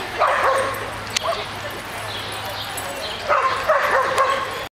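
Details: Rhodesian Ridgeback Uji at play in the park's dog run alongside a beagle, recorded 6/21/08; two bursts of rough barking at the start and near the end, with a quieter stretch between and constant outdoor hiss.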